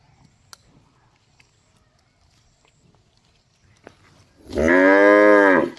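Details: After several seconds of quiet with a few soft clicks, a cow lets out one loud, drawn-out moo with rich harmonics that lasts about a second and a half.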